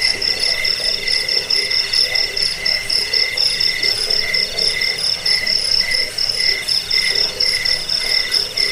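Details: Crickets chirping nonstop in a track for scaring rats, bringing sleep and teaching birds to sing; bright rapid pulses ride over a lower continuous band, rhythm slightly uneven, with soft background rustle.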